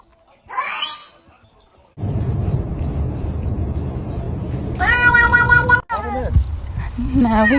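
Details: A house cat being poked and clearly disliking it. It gives a loud, drawn-out, harmonic yowl lasting about a second, then a shorter wavering meow. Someone speaks over a steady background rumble.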